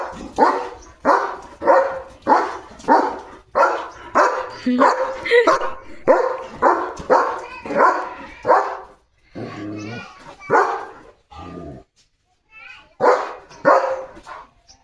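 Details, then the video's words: German Shepherd barking at other dogs seen outside the gate to drive them away: loud harsh barks repeated about every half second in a long run, a brief pause, then a second burst, with a man's voice talking between. "Leo The German Shepherd कसा म्हणतो – सगळे dogs पळवून लावले माझ्या दारातून!"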